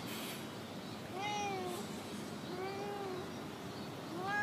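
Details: Talkative female stray cat that always stays in a park car park: two or three soft, drawn-out, slightly rising then falling meows under a steady wash of outdoor background noise.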